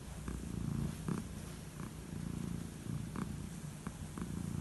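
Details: Aged calico cat purring contentedly during bedtime head strokes; a low, rolling rumble pulsing steadily with breaths, with a few quiet clicks and rustles of petting.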